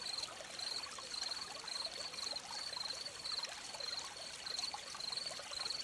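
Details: Crickets at a streamside give bright, high chirps in clustered pulses, roughly two each second, over the soft constant gurgle and hiss of trickling water.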